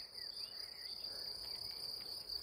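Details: Crickets at a tent spot beside a path near the Loire in spring, along the Compostela way; a steady, unbroken high trill runs throughout, with faint whistled bird notes underneath.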